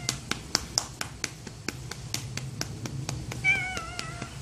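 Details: Aeyong, a stray cat living around a library who comes when called by name, gives one short, high meow with clear stacked harmonics near the end, over steady soft clicking taps.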